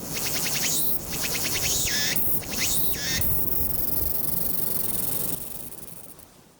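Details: Walker's cicada on 22 August 2021, Nikon Z7 recording: rapid pulsed rasping phrases with three swooping notes, then the song settles into a fading continuous buzz that trails off.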